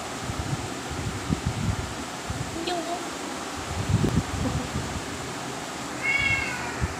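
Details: Cats eating grass, recorded 17 October 2023 at 13:05, with a single short rising-then-falling meow near the end over steady background hum and occasional rustling.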